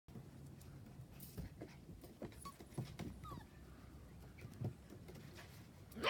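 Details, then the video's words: Puppies at play give faint, brief squeaky whimpers, a few short rising chirps scattered among soft rustling and low background noise. "Puppies playing"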